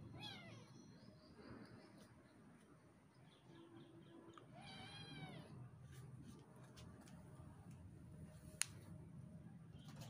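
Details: Kitten play-fighting with its mother indoors: a short meow at the start, a brief low tone near four seconds, then a loud wavering meow around five seconds, followed by soft rustling and clicks over low hum.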